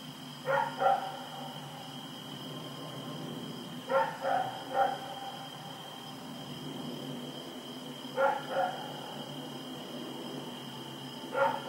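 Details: Night recording from Oct 7, 2018 of Rex the dog running around: short clusters of two or three barks every few seconds, fairly faint, with a continuous tonal hum and low background rumble.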